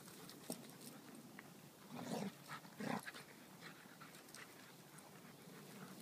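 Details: Two pet dogs playing together over a shared stick make two short, rough, noisy vocal bursts in quick succession mid-clip, with faint scuffles and a steady background hiss.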